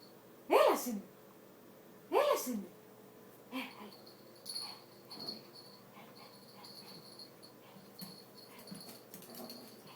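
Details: Angry Yorkshire Terrier giving two sharp, harsh barks about a second and a half apart, followed by fainter yaps and a woman speaking Greek, calling to the dog, with a steady high electrical hum underneath.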